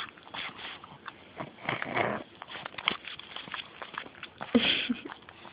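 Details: Beanie, a female pet pug, snorting into the camera up close; a run of rough, breathy snuffles and snorts with a louder, wetter snort near the end, in a small indoor room.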